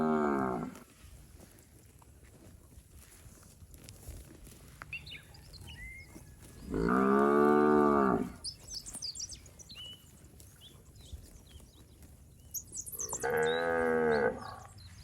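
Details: Cows from a herd of plump village cattle out in the paddy fields moo three times, a trailing call at the start, a long strong one in the middle and another near the end, with birds twittering between them.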